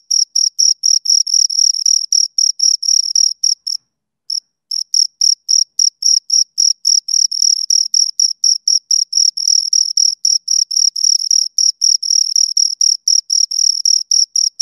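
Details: Two crickets chirping near the microphone, a rapid shrill pulsing series about four per second that stops briefly for half a second near the start, then resumes steadily.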